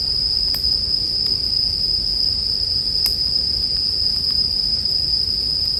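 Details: Bell cricket chorus forms a constant shrill ringing band, while a crackling campfire adds scattered snaps, the loudest around the middle, above a soft low roar of flames.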